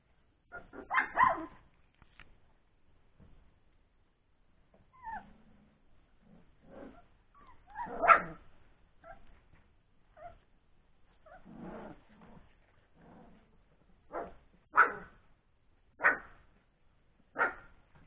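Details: Three-week-old Old English Sheepdog puppies playing after a meal, giving scattered short yips and growly squeaks with quiet gaps between bursts.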